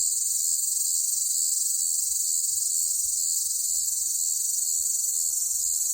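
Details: Cicada calling loudly on a hot summer day: one steady, unbroken, high-pitched shrill buzz that holds at the same level throughout, with no other clear sounds.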